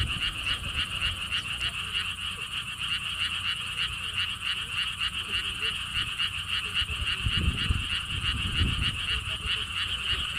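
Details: Frogs calling at a lotus theme park beside a stone wall path in Siheung, South Korea: a dense chorus of rapid, pulsed croaks, about three or four per second, overlapping continuously, with wind rumbling low underneath.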